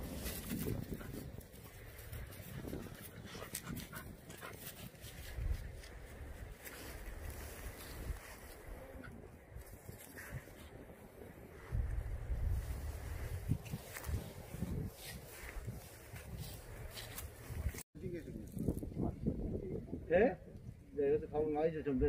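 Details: Jindo dog met on Jindo, Korea, panting in steady rough breaths outdoors for most of the stretch, then giving a few brief high whimpers near the end amid light rustling.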